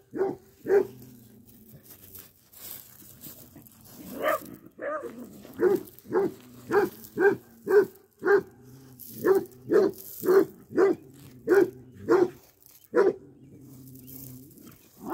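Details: Basset hound, a female, barking while digging up a freshly filled-in hole: deep, full barks repeated roughly every half second to second in uneven bursts, with a short gap and a few softer grumbles in between.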